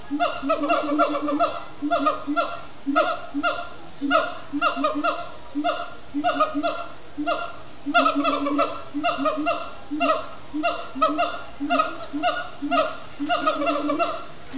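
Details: Siamangs at sundown in Disney's Animal Kingdom, chanting in a sustained bout: dense, rhythmic volleys of honk-like hoots with bright harmonics, grouped in quick bursts separated by brief dips in loudness.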